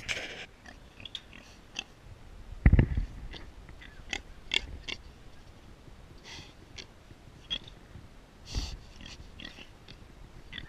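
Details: Close-up of a wild pig named Jackson: short breathy snorts and wheezing huffs scattered through the recording, with a louder grunting burst near the three-second mark and another later, over quiet chewing-like rustles.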